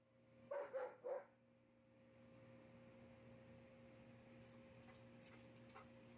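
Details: Autumn, a rescued German Shepherd Dog spending time outside with her foster family, gives three quick, clipped barks in a tight burst within under a second, then falls quiet over a steady low electrical hum.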